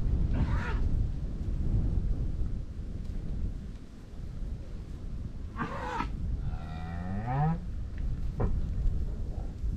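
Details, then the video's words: Cows grazing in a Dutch meadow amid farmland in the Netherlands: a low moo with a rising harmonic sweep near the six-second mark, a shorter lowing call around eight seconds, under steady low rumbling field noise. "COWS MOOING AND GRAZING IN A DUTCH FIELD"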